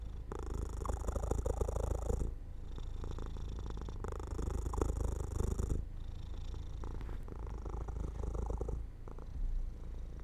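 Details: Pet cat dozing off by an open window in the sun, purring steadily; deep rumbling phrases lasting around two seconds each, broken by short quiet breaths between them.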